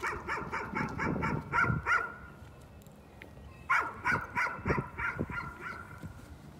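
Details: Repeated nuisance barking from a dog, with quick, fairly regular barks in two runs separated by a quiet stretch of about two seconds.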